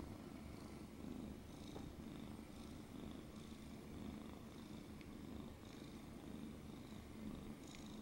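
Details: Held indoors, a domestic cat purrs persistently, a continuous low throbbing rumble with regular breathing pulses, plus a few light ticks and rustling sounds.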